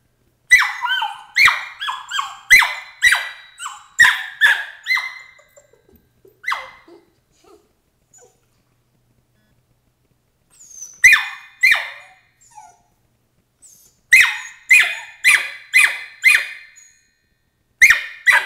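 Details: A 13-week-old Border Collie puppy named Emily voicing her objection to crate training: bursts of high, piercing yelps in quick series, broken by several seconds of silence before she starts up again.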